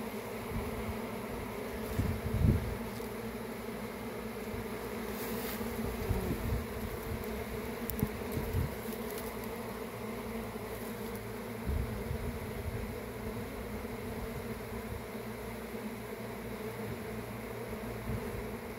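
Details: A honey bee swarm gives a dense, steady, low droning hum throughout, with a few louder thumps and rustles near the start.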